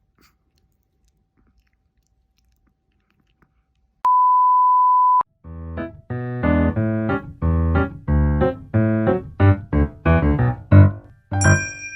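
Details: A steady electronic beep lasting about a second, followed by a run of piano-like keyboard notes that grows busier toward the end.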